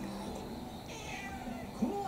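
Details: Orange tabby mixed-breed house cat, about four years old, wanting to go outside before being carried on a walk; a soft, faint meow midway, with a woman speaking Japanese and indoor room noise.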